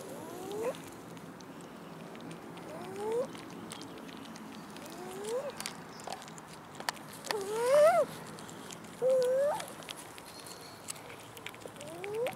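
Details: Abandoned cats wandering a city park, begging for food; a run of short rising meows roughly every two seconds, some longer and wavering, with faint background noise.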